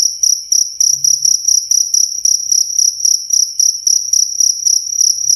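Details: Cricket giving bright, piercing chirps in short rhythmic bursts of several pulses, about four bursts a second, close and clear, with a brief low hum near the start.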